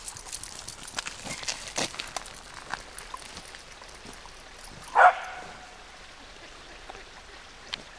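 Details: Chloe, a female wirehaired dachshund, barks in frustration while playing monkey-in-the-middle as the monkey: one short, harsh bark bursts out midway through otherwise quiet rustling and light scuffing sounds.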